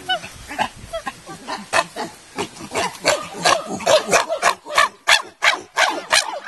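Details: Chimpanzees in the Nigerian Chimpanzee Centre, an 18-hectare solar-powered, electric-fenced natural habitat enclosure at Afi Mountain Drill Ranch, Nigeria: a rapid, uneven run of short hooting, grunting calls, about three per second, growing louder and more excited.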